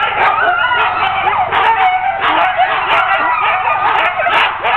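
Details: Sled dogs of a ten-dog team excited while being hooked up for a training run, continuous overlapping yelps, high whines and barks filling the air without pause.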